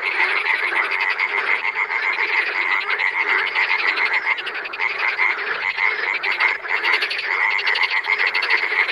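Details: Loud massed chorus of wild frogs: steady, intense pulsed croaking and trilling from many animals, threaded with a sustained high whistled tone throughout.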